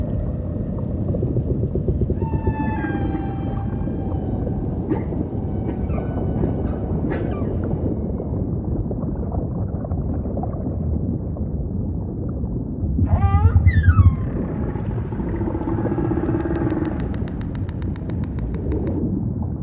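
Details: Humpback whale singing a sequence of harmonic moans, clipped upsweeps and a burst of rapid descending whoops near the end, all over a steady low ocean rumble.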